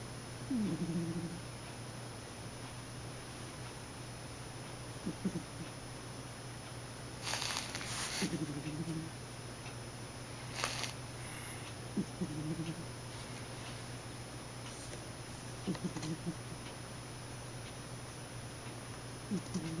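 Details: A sleeping cat snoring indoors: low, rasping snores recur about every three and a half to four seconds, each a short rough breath, with a few faint clicks and rustles between them.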